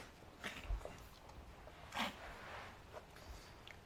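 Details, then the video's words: Five-month-old pug girl Adina, still struggling to breathe after a burst of frantic running, 9 May 2012 around 4pm; a few rough snorting breaths, the loudest near two seconds, over quiet indoor background. "Pug Puppy Reverse Sneeze"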